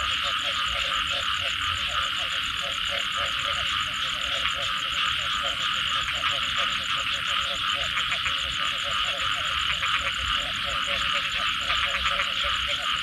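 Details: Many frogs call after rain in a thick, continuous chorus. Low pulsed croaks come in uneven bursts over a steady high trilling drone. Rapid ticking pulses rise in the middle section.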